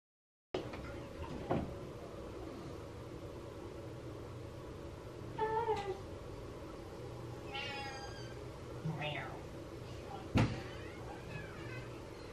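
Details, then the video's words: A pet cat meowing sadly indoors while its owner is in the shower; a few drawn-out, wavering meows, one rising and falling near the middle and a short one later, over a steady background hiss, with a sharp knock. "Cat Meows Sadly While I'm In The Shower"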